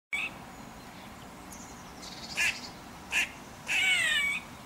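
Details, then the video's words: Female grey squirrel giving alarm calls in protest at a domestic cat, from a radio transmission tower near her drey. There are two short, harsh, nasal calls, then a longer wavering, mewing call. The background is quiet. "GREY SQUIRREL ALARM CALL"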